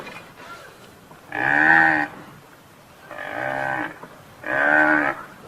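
A buffalo gives three deep, drawn-out, moo-like calls, each under a second long.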